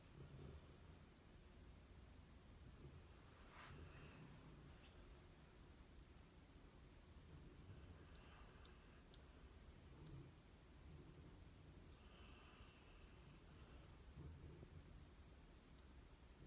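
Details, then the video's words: Abundant Joy, a Golden Retriever, and Honey, a Labrador Retriever, sleeping and dreaming indoors; soft, low rumbling snores rise and fall in slow breaths, with faint rustles and a quiet room hum. "Dog Snoring: Golden Retriever and Labrador"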